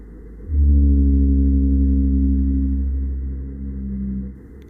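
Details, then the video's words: A real recording of a blue whale: a deep, steady moan that holds its pitch for about four seconds. "since you can find blue whales in Mexico here's a real life recording of what a blue whale sounds like"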